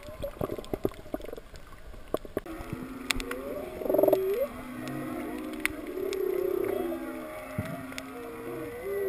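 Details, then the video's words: Whales heard underwater off Kaanapali during a breath-hold snorkel dive to 19 feet over a wrecked sailboat keel and coral: drawn-out moaning tones and rising and falling wails with harmonics, over dense crackling reef clicks and sharp snaps. "Whale and Reef Sounds at Kaanapali"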